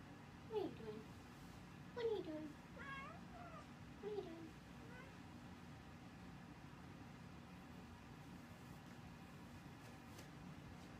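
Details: Brigitte, a house cat, meows while someone makes up the bed after she got stuck. Three short, bent meows come about two seconds apart, with fainter mews between, in a quiet indoor room.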